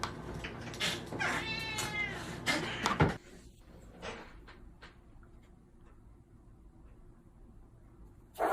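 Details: Domestic cat giving one long, wavering meow over about a second, partly masked by loud broadband rustling and thumps. Quieter room noise follows, then a sudden loud burst at the very end.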